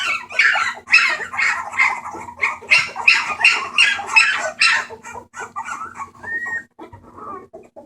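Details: Bulldog puppies at a rescue on 28 March 2014 making noise: a fast run of harsh, noisy yips about three per second for five seconds, then quieter scattered squeaks and a short whine, over a low hum.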